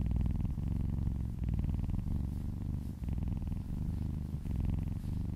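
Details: Contented domestic cat purring under massage, a loud low rumble pulsing in breath-length waves, about one swell per second.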